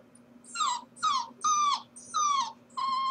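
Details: Corgi puppy left at home while its owners are at work, whimpering: five drawn-out whines, each sliding downward and evenly spaced about half a second apart, with a faint steady hum underneath.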